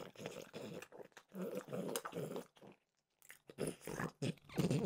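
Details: French bulldog Mimosa snacking on peanut butter flavored dog treats indoors: bursts of wet crunching and chomping, a brief silent pause near the middle, then more crunching with a low grunt toward the end.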